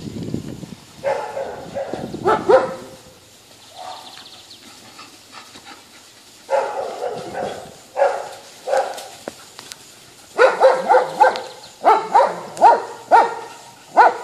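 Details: Poodle showing off and teasing geese, giving a run of short, sharp barks in bursts, some rapid and repeated about once a second, with quieter gaps between volleys.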